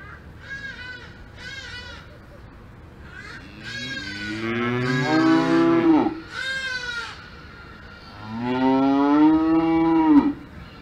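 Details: Cows on a farm in the Alps moo repeatedly: short nasal calls early on, then two long, loud, drawn-out lows with rich harmonics that swell and fall away at the end, with quiet farmyard background between calls.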